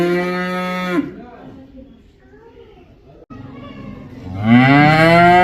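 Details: Cow mooing: a loud, deep moo ends in the first second, followed by a quiet low murmur, then a second moo swells up and rises in pitch over the last second.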